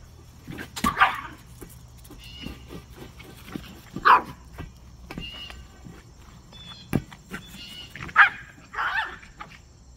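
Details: Yorkshire Terrier pup named Rylie, a female, playing with an oversized soccer ball. She gives a few short, bright yaps spread across ten seconds, separated by thuds and scuffles of play.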